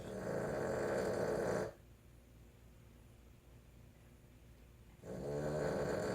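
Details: Snoring Boston Terrier, a loud rasping snore at the start breaking off into about three seconds of near silence, then another heavy snore beginning.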